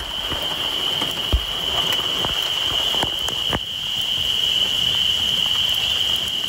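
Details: A dense chorus of spring peepers makes a continuous high, shrill ringing under steady rain on a spring night of road cruising for amphibians.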